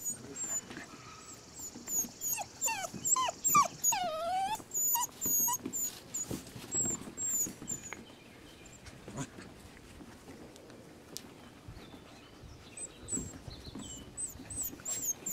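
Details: Rescue puppies whining in clear rising-and-falling whimpers, several overlapping in a busy burst early on, then thinner high squeals and scattered bumps and rustles as the litter settles.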